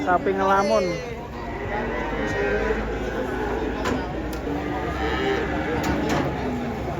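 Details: Cattle coming down from a truck: a short, loud, descending moo opens the clip, followed by murmuring voices, clicks and general background noise.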